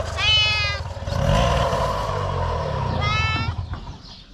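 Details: Mother cat with kittens, a stray street cat: two drawn-out harmonic meows, one at the start and one near three seconds, over low traffic rumble and background noise.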